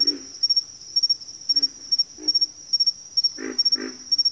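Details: Several low, gruff frog croaks spaced about half a second apart, ending in two louder, fuller grunts, all over a continuous high, rhythmically pulsing insect trill.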